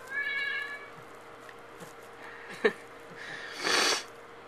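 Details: Tux, a male domestic cat shut in a bathroom at night and wanting out, gives one short harmonic meow early on, followed by a sharp click and a burst of broadband rustling noise near the end.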